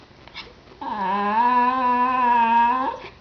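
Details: A talkative 10-year-old female Cairn Terrier gives a long, steady, nasal whine that dips slightly and then rises, complaining that her toy isn't being thrown fast enough.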